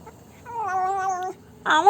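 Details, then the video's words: After eating Dairy Milk chocolate, a black pet cat gives a wavering, nasal meow under a second long, then a sharper, louder call starts at the very end. "My cat makes funny noises after having dairy milk chocolate"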